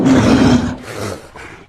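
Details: Polar bear, a female seal stalker whose preferred prey is seal, gives a loud, rough, breathy snort lasting about half a second, trailing into softer exhaled rasps before fading out.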